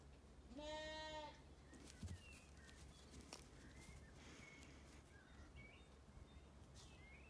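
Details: Sheep among ewes and lambs in an orchard on a sunny day at a regenerative farm in County Kilkenny, Ireland: one drawn-out, richly harmonic bleat lasting about a second and rising slightly at the start, then quiet pasture with faint bird chirps and a soft thump.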